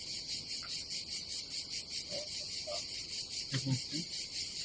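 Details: Summer cicadas at a Croatian campsite above the Adriatic Sea: a high, buzzing chorus pulsing in quick, even throbs about twice a second. Brief low knocks come near the end.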